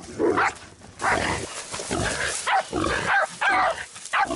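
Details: Jack Russell Terrier out boar hunting, giving loud harsh barks in uneven bursts, some short and some drawn out, with squealing and grunting from a pig mixed among them outdoors.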